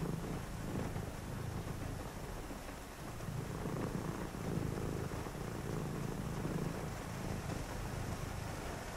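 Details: Domestic cat purring on a rainy night: a low, steady rumbling purr in rhythmic pulses with a short break near the middle, over constant soft rain hiss.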